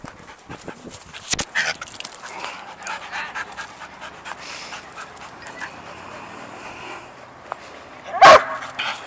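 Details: Dog named Sadie worked up about a squirrel she cannot see, panting quickly and whining faintly before a single abrupt bark near the end.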